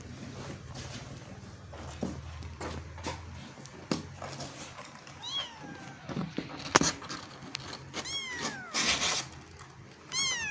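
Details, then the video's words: Kitten struggling to get out of a hole, making several short high-pitched mews, some rising then falling, bunched in the second half, among rustling, knocks and scraping sounds. "The kitten tries to get out of the hole"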